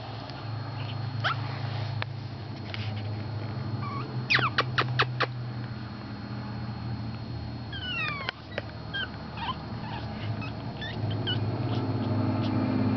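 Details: Four-week-old Pekingese puppies giving a few thin, high squeaks that sweep downward, in short clusters separated by quiet stretches, over a steady low indoor hum.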